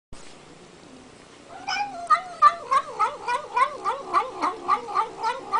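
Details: Domestic cat making an odd sound while eating: after a quiet start, a run of wavering, yowling calls pulses about three times a second, each rising and falling in pitch.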